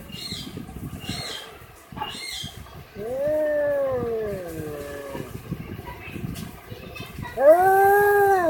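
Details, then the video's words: Cat giving two moaning meows, the first long and slowly falling, the second shorter and louder, set against a busy background of rustling and low noise. "Cat sound"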